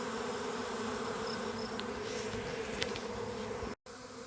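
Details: A honey bee swarm that has just left a beekeeper's hive settles onto a tree branch while searching for the queen, humming steadily in a dense, low drone of countless wingbeats.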